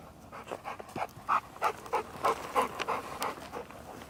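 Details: Labrador Retriever named Deokbae on a mountain walk during a surprise heavy late-March snowfall in Gangwon-do, South Korea; quick, steady rhythmic panting, about three breaths a second, each breath a soft rasping puff.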